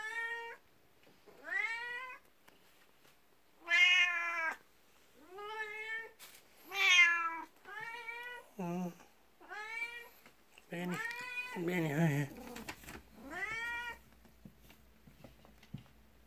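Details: Beni, a 12-year-old black cat, presses against legs indoors one morning, jealous of the 19-year-old cat Kuku and wanting attention. A rapid run of a dozen insistent meows varies from rising wails to short wavering, lower cries, with light handling noise.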